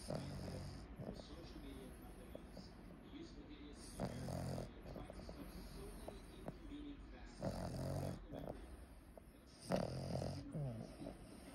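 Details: A sleeping female Boston Terrier, dreaming of chasing rabbits with her eyes open, gives low, snuffling snores and short snorting breaths in uneven bursts.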